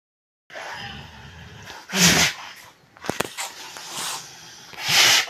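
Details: A senior bull from Narasapuram village snorts twice, sharp breathy blasts of air about three seconds apart.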